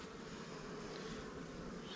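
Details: Short, unbroken drone of honey bees at a hive as frames of honey and drawn comb are picked out to feed newly caught swarms.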